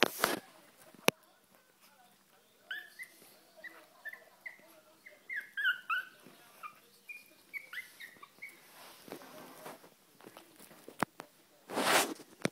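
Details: Kennel Club registered Chihuahua puppies: after a loud thump, a long string of high, short squeaky whimpers rising and falling, some overlapping, for about six seconds, then rustling and a burst of handling noise near the end.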